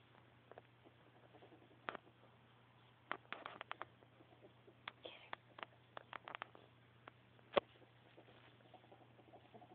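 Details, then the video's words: A happy pet ferret, Callie Mae, indoors, makes soft, dry clucking clicks in quick uneven bursts, with quiet pauses between clusters and faint household background hum. "Happy Ferret!!!"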